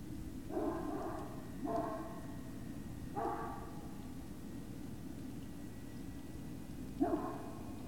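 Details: Great Dane puppy at Puppy Hill, 19 February 2019, evening: four brief, bright yips, three close together in the first few seconds and a last one after a pause, over a steady low hum.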